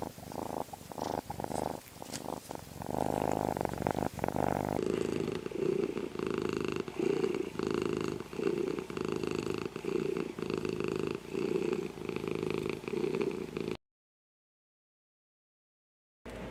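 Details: Domestic cat purring close up, a deep rhythmic rumble pulsing roughly three times a second, growing louder and rougher midway, then breaking into brief silence near the end.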